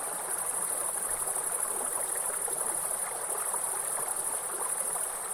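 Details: A grasshopper in a forest gives a steady, high, thin buzz over the rushing roar of a waterfall.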